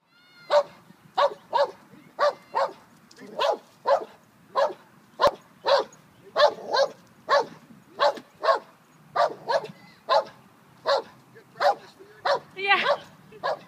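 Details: Five-month-old German Shepherd puppy practicing the stay command in a park while other dogs walk past; sharp, short barks repeated steadily about every half second for around twenty barks, with faint background rumble.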